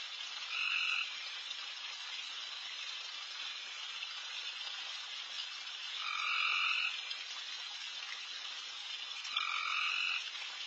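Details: Backyard at night packed with insanely loud frogs while deer take a late meal: a constant buzzy chorus, pierced by three louder trilled bursts, each lasting under a second, spaced several seconds apart.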